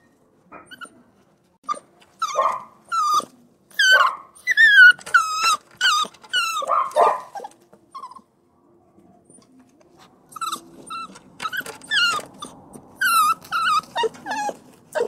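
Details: Crying puppy repeating strained, quavering whines and yelps in clusters, pausing near the middle before starting up again with insistent high whimpers.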